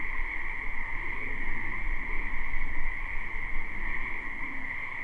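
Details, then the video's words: Numerous wetland frogs calling in spring, a live recording. Their constant high-pitched trilling chorus runs without pause over a strong low rumble of wind or distant traffic. "Ambient Noise for Sleep Frogs Black Screen"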